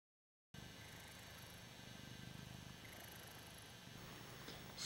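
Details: Male Ragdoll cat purring while enjoying being adored: a steady, low, rumbling purr with a fine pulsing texture that runs without a break after a brief silence at the start.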